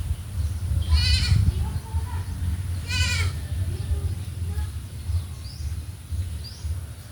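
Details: Farm goats being dewormed with an oral suspension; two short, tremulous, nasal bleats two seconds apart, then quieter faint calls amid steady low background rumble.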